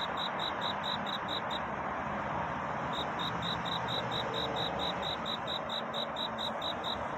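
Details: Cricket singing at night to seek a mate, in a dawn setting: a steady train of clear, high ringing pulses, about five per second, breaking off once for over a second before resuming, over a constant broadband hiss of background noise.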